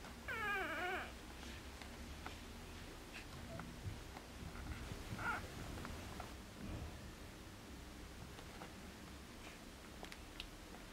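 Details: Newborn Border Collie puppies at four days old, litter born 29 August 2014, filmed indoors 2 September 2014; one clear high wavering squeal near the start, then faint scattered squeaks over a low hum.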